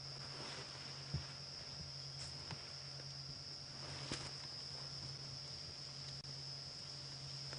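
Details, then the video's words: Cicadas call with a steady, high-pitched continuous buzz over a low vehicle engine hum during a 4:30 PM safari drive at Djuma Game Reserve, South Africa, on June 23, 2016, which is unusual in winter, though this winter has been unusually warm. "And listen to that, the sound of summer. You can hear some cicadas calling."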